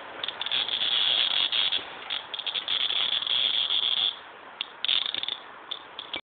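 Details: A cicada gives a harsh, high buzzing drone in pulsing bursts, sustained for about four seconds, then a brief pause before a few shorter rasping bursts that end abruptly.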